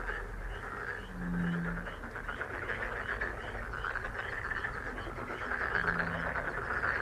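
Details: A thick frog chorus, countless overlapping croaks blending into a rattling, pulsing drone, with two brief low tones in the background.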